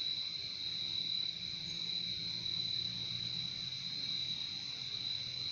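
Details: Crickets in a nature recording chorus in a steady, unbroken high trill at an even pitch, with a fainter lower trilling band beneath and a soft low hum of background noise.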